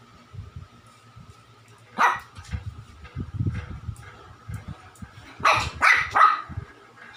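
A small Shih Tzu barks once, pauses, then fires off three quick, high-pitched yaps in close succession. A low rumble of background noise runs underneath throughout.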